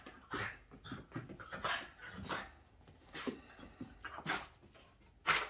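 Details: Boston Terrier dog upset at a window cleaner, letting out a rapid run of sharp, harsh barks and yaps, about two or three a second with brief gaps between bursts.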